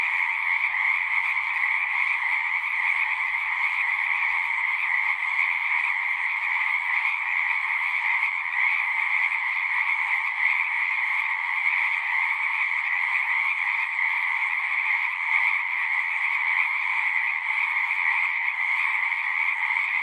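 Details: Many frogs singing together in a dense, continuous chorus, a steady wall of overlapping croaks and trills with a strong mid-pitched band and a brighter upper band, unbroken across the whole stretch, no other sounds standing out.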